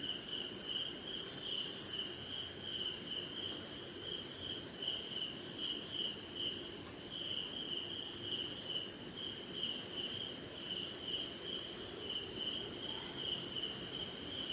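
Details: On a rainy night in an Indian jungle by a swamp, crickets keep up a constant high-pitched ringing while a lower chirping trill pulses on almost without pause, steady and dense across the whole stretch.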